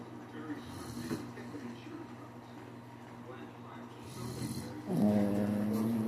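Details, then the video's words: Shih Tzu snoring in its sleep: two snuffling rasps a few seconds apart, then a louder, sustained nasal drone at the end, with a steady background hum throughout. "adorable shih Tzu snores!!"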